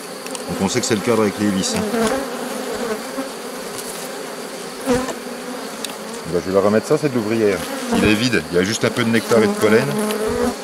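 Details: Honey bees of a drone-laying hive buzz loudly around an open colony during a rescue on 3 May 2021. A brood frame with nurse bees from a neighbouring, rather defensive hive is added. The droning hum wavers in pitch, with handling clicks.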